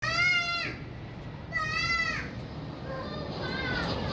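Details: Kittens playing outside: two drawn-out, rich-toned meows about a second and a half apart, each sliding slightly downward, followed by a softer, fainter mew near the end, over steady outdoor background noise.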